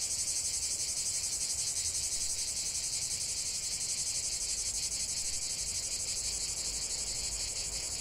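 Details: Singing cicadas heard together outdoors: an unbroken, intense high buzz with quick regular pulses, constant in loudness from start to finish.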